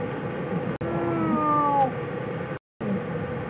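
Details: Bear in its den on January 16, 2013: a single smooth harmonic note that glides slowly downward over about a second, set against steady low hiss.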